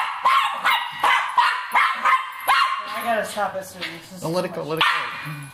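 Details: Cairn Terrier barking while going after a rat: sharp, loud barks repeated roughly every half second for about three seconds, then a person's voice talking over a few fainter barks.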